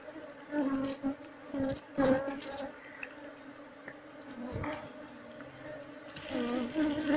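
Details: Wild honey bees of the species Apis cerana, said to sting anyone disturbing their nest, drone steadily while the hive is harvested; the buzz swells in short surges between scraping and tapping sounds.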